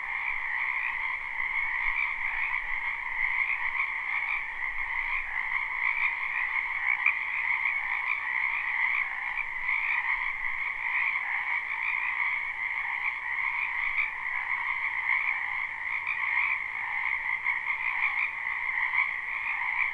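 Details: In a wetland behind a house in spring, a crowd of frogs croaks together, recorded live with no loop. Their steady, rattling chorus runs evenly throughout, with many callers merging into a continuous hum and no breaks.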